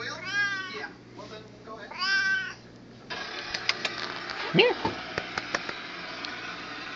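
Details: Seal point Siamese cat greeted by its owner indoors gives two loud, drawn-out meows with an arching pitch about a second and a half apart. A man then speaks Spanish over light clicks and rustling.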